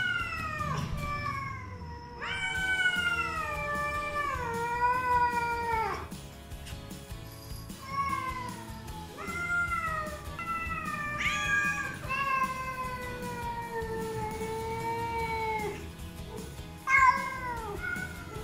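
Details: Black feral rescued mother cat and her two grown kittens meowing to greet their caretaker in the morning, only when expecting wet food; long drawn-out overlapping meows, some wavering and falling, several voices in a row, with background music.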